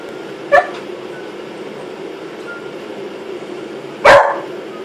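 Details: Molly, a pet Beagle, going wild with excitement over a brush; two short, sharp barks about three and a half seconds apart, with quiet room background between them.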